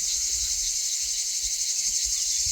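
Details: In France, along a green, shaded canal footpath on the GR653D hiking trail, cicadas sing a continuous, high, shimmering buzz that holds steady without a break.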